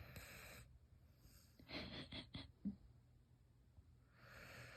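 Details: Siberian Husky snoring like a person, indoors: a short run of breathy, rasping snorts close together midway, with a low steady room hum and soft hiss before and after.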